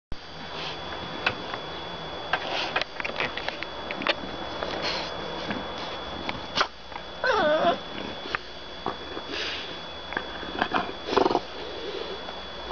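A French Bulldog sniffs and snorts in quick bursts, with a brief wavering grumble midway.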